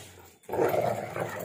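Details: Two dogs, a pitbull mix and a husky, in a tug of war over a shoe and its shoelace. After a brief quiet moment, a loud, gravelly growl starts up and holds steady.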